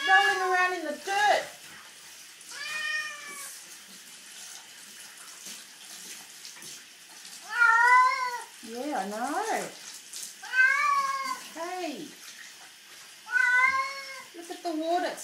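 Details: Domestic cat Puss Puss complaining loudly while bathed after rolling in dirt; repeated long, rising-then-falling meows in irregular bursts, some descending wails, with running tap water and occasional human speech.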